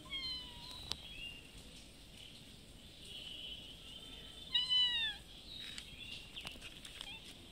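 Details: A mother cat with a little kitten meows for food outdoors at a house she visits twice a day. Two thin, drawn-out meows, the second louder and sliding downward, over a quiet hiss.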